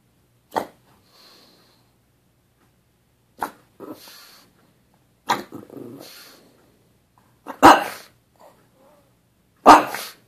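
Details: Pug frustrated at not having its ball thrown, giving short sharp barks at irregular intervals, about five over ten seconds, with soft grumbling growls between some of them.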